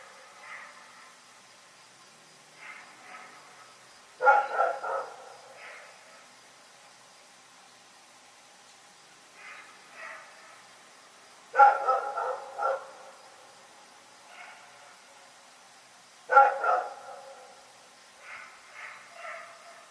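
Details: Rex barks at night in loud bursts of two or three harsh barks every five to seven seconds, with quieter, more distant-sounding barks between the bursts.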